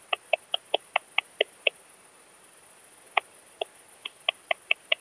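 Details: Eastern saw bush-cricket, Barbitistes constrictus, at Kleinziegenfeld, Germany, 12 August 2021. A run of eight short, clicky chirps comes about four or five per second, then after a pause a sparser burst of similar sharp chirps follows over a faint hiss.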